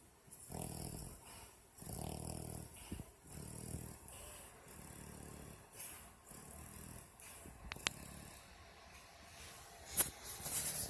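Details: Sleeping female dog snoring much like a person, her lips sometimes moving as if talking in a dream. Rough, breathy low snores come in a steady rhythm about every one and a half seconds, with a sharp click near the end.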